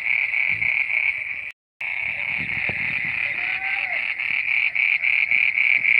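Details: Croaking frogs at midnight form a shrill, pulsing wall of sound, about four beats a second. It cuts out for a moment near the start, then resumes with a faint gliding tone in the middle.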